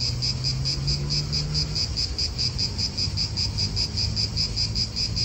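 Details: Cicadas in an Italian park give a loud high buzz beating in distinct regular pulses, over low wind and a faint engine hum from nearby cars.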